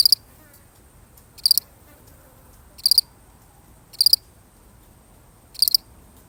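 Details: Lone cricket giving bright, high-pitched chirps of three or four quick pulses, five chirps at slightly uneven intervals of roughly one to one and a half seconds, with a soft steady background.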